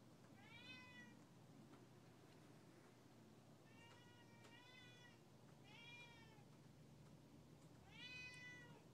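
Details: A two-year-old Siamese cat, upset when its owner steps outside, gives four loud, drawn-out meows, each rising then falling, a second or two apart.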